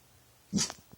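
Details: A dog late at night makes weird sounds at nothing: a single short, sharp vocal burst, rough and breathy, over a quiet background.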